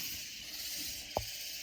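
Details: Loud katydid insects near San Antonio in the Texas Hill Country, a dense, continuous high-pitched shimmering hiss filling the upper range, with one sharp click near the end.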